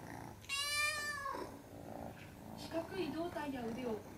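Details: Munchkin kitten crying: one high, drawn-out meow that slides slightly downward at its end, followed by a person talking quietly in the background.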